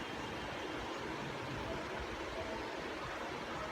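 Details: Steady broadband rushing noise, like running water or a fan, continues without any animal sound.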